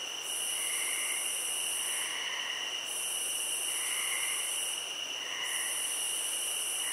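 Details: Steady, high-pitched cricket trilling forms a constant ringing drone. Soft, lower chirps rise and fall beneath it, and the brightest layer pauses twice for under a second.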